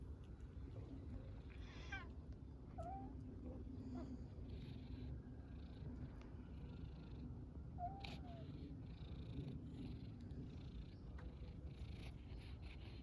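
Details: Homeless tabby street cat in Istanbul purring while asking for attention and food: a steady low rumbling purr throughout, with a couple of brief, faint higher meow-like squeaks near the start and middle, and light street noise.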